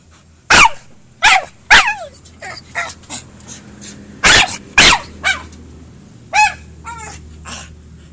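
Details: Pit bull producing sharp yelps and high, wavering whine-like yips with falling and rising pitch sweeps, spaced irregularly about every half second to a second, over a low steady background hum.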